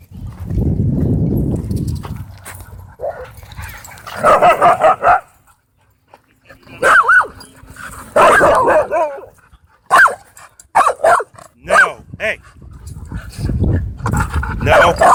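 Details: Dogs at play in a dog park growl low and rough, then break into loud barks and yelps in bursts, with a spell of deep growling returning at the end.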